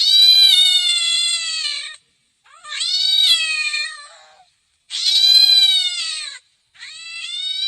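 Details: House cat producing four loud, drawn-out meows, each lasting one to two seconds, rich in harmonics with a gently rising then falling pitch, separated by brief pauses.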